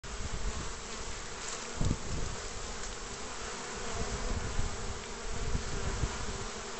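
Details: Honey bees at the entrance of a hive basket in spring, 29 March 2014, with pollen being brought in: a dense, steady droning hum, low and continuous, with individual bees buzzing louder as they pass close.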